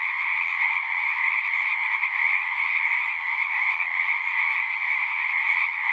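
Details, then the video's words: Many frogs sing at a horse-pasture pond, captured on a Zoom 6 recorder, their overlapping trills merging into one constant pulsing chorus with slight swells in loudness. "Frogs singing"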